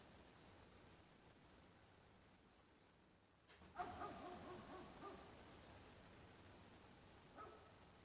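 After a quiet stretch, a red fox lets out a rough, strained mating-season call lasting over a second. A shorter, fainter cry follows a few seconds later against low background noise.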